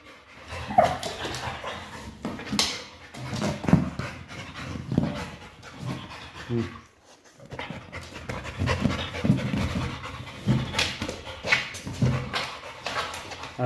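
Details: Pit bull breathing hard while chasing and playing with a Pilates ball indoors, irregular heavy panting with a short pause near the middle, scuffing and bumping noises throughout.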